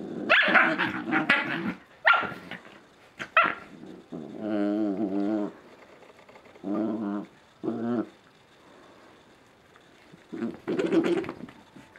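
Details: Two Scottish Terrier puppies romping indoors in a dark living room at 5 am on a Sunday: bursts of high yips and barks, then longer throaty, wavering play growls in separate runs of a second or so.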